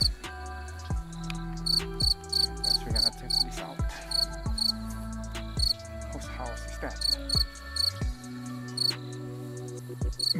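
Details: Crickets at night in a dark forest during a treasure hunt: bursts of short, high, pulsed chirps repeating every second or so, over steady low background music with occasional sharp knocks.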